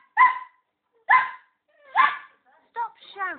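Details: Border Collie puppy yapping at a hamster it has just met: three sharp, high yaps about a second apart, then a woman's voice scolding the puppy for shouting.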